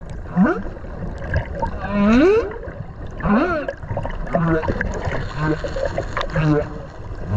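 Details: Whale calling underwater off Okinawa, recorded while swimming beside it: rising, harmonic swooping moans and short upsweeps, repeated several times over a bubbly, gurgling water background.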